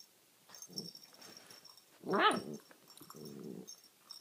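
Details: A nine-week-old Alaskan Malamute puppy playing with a cat toy and "talking" to it gives low grumbling murmurs and a sharp, rising yelp.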